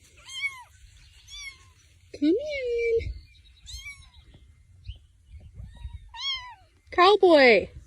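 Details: Domestic cat in a funny cat compilation giving a run of high, bending meows about once a second, one longer rising-then-level wail midway, ending in a loud, harsh, strained meow; people talking faintly in the background.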